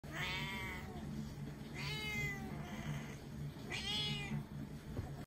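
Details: A 9-month-old Singapura cat complaining indoors: three drawn-out, harmonic meows, each rising then falling, spaced about two seconds apart, over a low steady hum.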